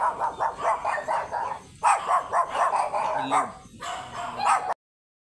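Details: Leomord, a stud beagle at Gueguesangen in Santa Barbara, Pangasinan, barks in rapid bursts of clipped, mid-pitched yaps. A brief pause separates two volleys, and a few faint human voices mix in near the end.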